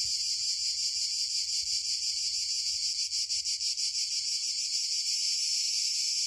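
Cicadas fill the air with a steady, high-pitched shrill buzz that barely lets up.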